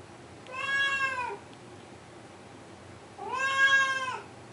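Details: A male blue point Siamese cat gives two long, drawn-out meows at 2am, each rising then falling, crying to get his owner to open a door.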